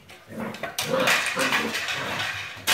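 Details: A 7-week-old male Airedale Terrier puppy, playing with a cup on a dreary Thursday morning in early May, gives a rough, rasping growl, with a man's voice nearby.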